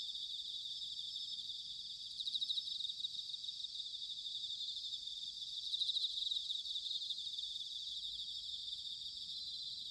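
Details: Bell crickets in autumn, Sanuki, Chiba, Japan, fill the air with an unbroken high tinkling trill, two stronger ringing swells near the second and sixth seconds standing out above the steady chorus.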